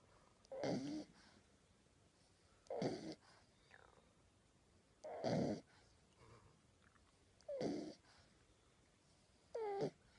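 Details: Sleeping puppy snoring softly indoors, each breath a short rasping snore, repeated roughly every two seconds in a quiet room.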